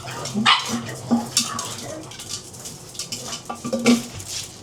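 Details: Pug around breakfast giving a series of short, low, clipped barks and grunts spaced irregularly, mixed with light clinking of dishes and scattered clatter in a small room.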